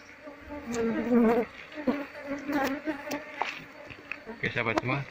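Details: Wild Apis cerana honey bee colony being moved from its nest into a cultivation hive box while the combs are scraped off. A low, droning buzz swells and fades, broken by sharp scraping clicks and handling noises.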